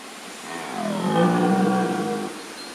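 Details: Roaring red deer stag at Wildpark Gersfeld, Rhön, before dawn. A single drawn-out, throaty groan swells in volume and slightly rises in pitch, then fades over about a second and a half.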